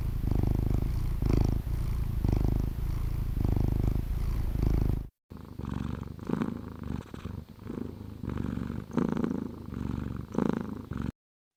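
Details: Relaxing anti-stress purring of a domestic cat: a low, throbbing rumble in breath-length swells, then after a short break a softer, more uneven stretch of purring before silence at the end.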